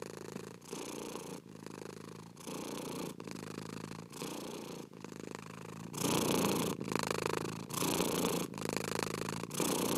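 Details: A cat's purr, loud and close, rolling in even breath cycles of roughly three-quarters of a second, growing stronger and brighter in the second half.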